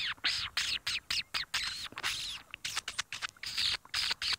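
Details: Dwarf mongooses in the African bush on a late-afternoon May safari give rapid bursts of high, harsh chattering chirps, about two per second, as alarm calls, with a faint low rumble beneath; hornbills were following them.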